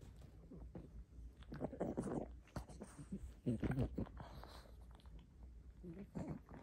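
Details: A pug greedily chews a rope toy: noisy wet gnawing, snuffling and soft crunches in irregular bursts.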